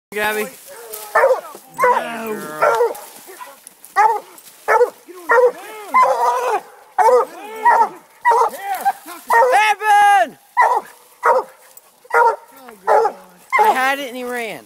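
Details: An 11-month-old female Bluetick Coonhound gives a run of drawn-out, ringing barks in an uneven series while treeing a raccoon in February.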